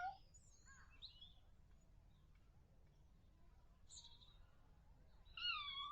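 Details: Kittens mewing: a short high mew at the start, then a louder, descending harmonic mew near the end, with scattered high thin chirps in between over a low steady hum.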